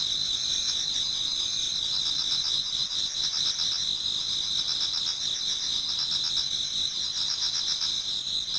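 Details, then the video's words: Towards dawn in autumn, a Japanese garden rings with many insects: steady, bright high-pitched trilling in several overlapping bands, with softer pulsed chirps beneath. "Autumn Insects voice Towards dawn"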